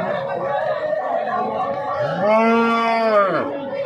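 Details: Cow at the weekly Sunday Jarua cattle market near Hajipur, about 18 km from Patna, Bihar, on a day of heavy rain. One long, loud moo rises and falls, with crowd chatter and music in the background.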